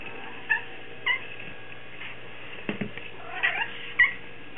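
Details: Male house cat looking for food, giving short inflected meows at about half a second, one second and again near three and a half and four seconds, with soft indoor rustling between.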